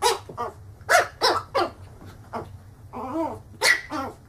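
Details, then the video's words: Angry dog barking loudly in a funny compilation, with harsh repeated barks and a few growly, whining notes in quick irregular bursts, about three per second. "Funny Dogs Barking - funny dogs barking and growling videos compilation 2016"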